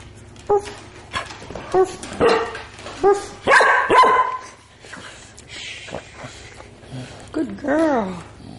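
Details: Two Shih Tzu-Labrador mix sisters from the same litter, about two and a half years old, Shih Tzu mother and Labrador father, indoors. Short barks and yips, then a drawn-out falling whine, while a woman coaxes them to "say hi" and "bye-bye".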